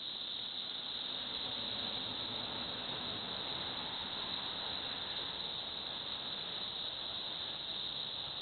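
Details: A continuous shrill cicada buzz from Villa Park, Illinois, hangs at one high pitch without a break, with a faint low rumble underneath.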